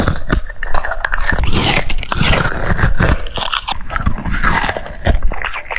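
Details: Cucumber being bitten and chewed by a French Bulldog: loud, crunchy bites in quick irregular succession, with moist smacking and scraping between crunches throughout.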